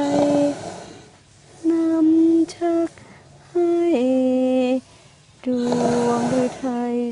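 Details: A woman sings a slow, gentle lullaby in sustained phrases, with no animal sound heard.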